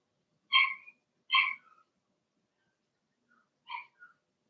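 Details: Young Cavalier King Charles Spaniel puppies, part of a Blenheim litter of six kept in an indoor pen, give two loud high yelps close together, then after a pause a softer yip and a faint squeak.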